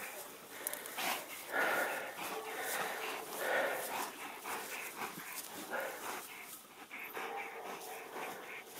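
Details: Sarplaninac guard dog on a livestock farm, confronting a badger that intruded at night: harsh, noisy barks and yelps come at irregular intervals over a rough, broadband scuffling background.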